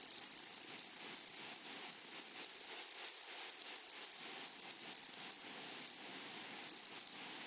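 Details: A grasshopper in a flowery prairie meadow rasps loudly in short, fairly even buzzy pulses, about three per second, with a couple of pauses, set against a quieter continuous high insect background.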